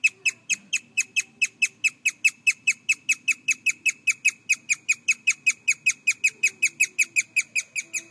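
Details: A young male guinea pig, hiding under a stool and recently paired with an older boar, gives a long run of short, sharp, bird-like chirps at about four per second; owner suspects dominance.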